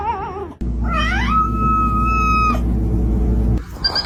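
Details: Domestic cat making a funny yowling call: a wavering, vibrato-like cry that rises, then holds one long, steady high tone for about a second before breaking off, over a steady low hum.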